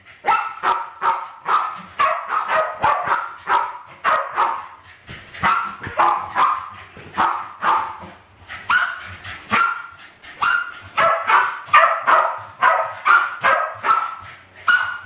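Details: Playing West Highland White Terriers, two of them named Alfie and Crystal, attacking balloons in a kitchen in 2012 at about 7 and 8 years old; a long, rapid, relentless string of yappy barks, roughly two or three a second.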